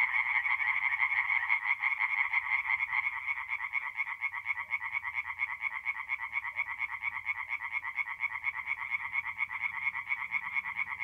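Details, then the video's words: Night chorus of singing tree frogs at a forest pond in north-east Italy in mid-April; fast pulsed, nasal croaks stream without pause, many voices layered into a constant shimmering rattle. "relaxing forest pond by night with singing tree frogs"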